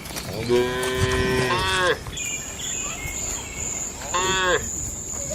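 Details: Tame cattle moo inside a barn pen during their daily routine: one long harmonic moo bending upward at its end, a pause, then a shorter second moo, with a steady high-pitched whine in the background.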